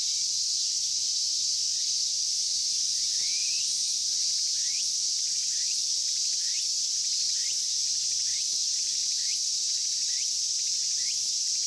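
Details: Cicadas in Inagi Central Park, Japan, large brown and minmin cicadas named, being caught barehanded; constant high sizzling drone overlaid by short upward-sweeping chirps repeated about every half second to second.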